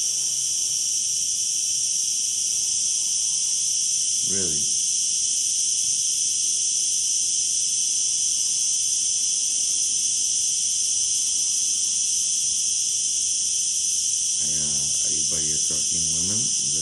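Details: A cicada calls from close by with a loud, steady, turbine-like drone, high and unbroken, and it stops when approached. Brief human voices are heard.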